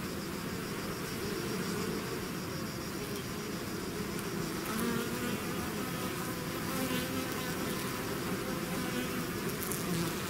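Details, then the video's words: Swarm of bees emerging from a hive: a constant, many-voiced droning buzz, with passing insects briefly raising pitch and volume around the middle and the final seconds. "bees therapy swarm natural buzzing sound"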